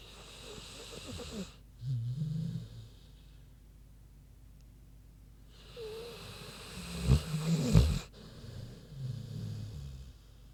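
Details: A big sleeping pig snoring: deep, low rumbling snores in two separate breathing bouts, each a broad noisy inhale-exhale with grunting undertones, separated by quiet pauses of a few seconds.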